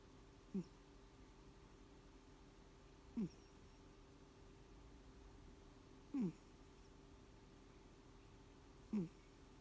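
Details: Elim Garak, a pet housecat, snoring or wheezing at rest; four short low rasping breath sounds spaced roughly every three seconds, each a brief descending wheeze over a faint steady indoor hum.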